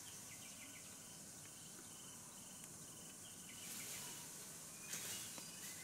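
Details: Cicadas in the desert drone in a steady, hissing high-pitched buzz that swells briefly louder near the end.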